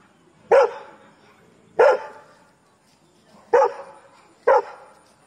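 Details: A Labrador barks at strangers: four forceful, short barks roughly one to two seconds apart, each with a quick fading tail, against near silence.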